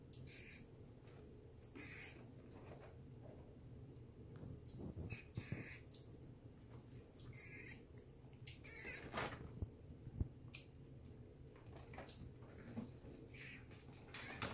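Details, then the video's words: Reggie the marmoset at playtime giving many short, thin, very high chirps and brief whistled sweeps scattered through the recording, mixed with frequent broadband rustling and thumping bursts from movement and play, over a steady low indoor hum. "Monkey Play Time Reggie the Marmoset"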